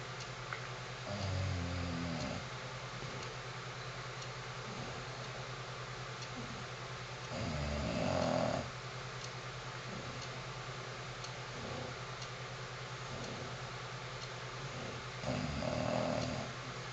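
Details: A 9-year-old female English bulldog snores in loud, rattling bursts, each rough breath swelling and fading every few seconds.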